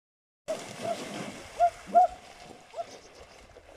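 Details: English Springer Spaniel dog in Bavaria, Germany, giving a few short, high, whining yelps, the clearest two close together near the middle, then a fainter one, over a steady rushing background noise.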